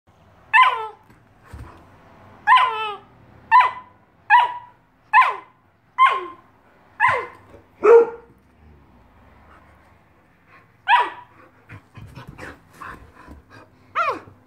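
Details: A giant Alaskan Malamute puppy gives a run of high, yelping barks that drop in pitch, about one per second, while playing hide and seek and teasing his Husky sister from his favourite hiding spot.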